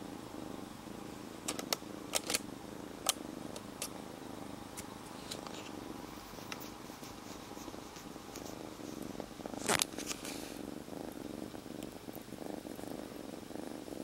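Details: Rescued kitten, a stray until three days ago, purring while held inside a jacket; steady low rumbling purr throughout, broken by sharp clicks and rustles of fabric, with a louder scraping rustle near the ten-second mark.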